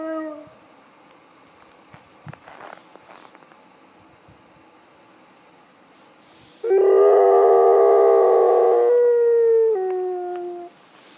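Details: Dog in Svalbard howling like a wolf: after several quiet seconds with faint shuffling, one long, steady, mournful tone rises in loudness and holds for about three seconds, then slides down and fades out.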